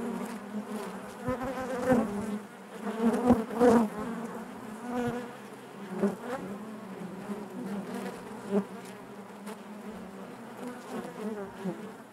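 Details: Many honey bees buzz together in the hive, a warm low hum that rises into louder surges around the middle, then settles to a softer drone broken by small clicks.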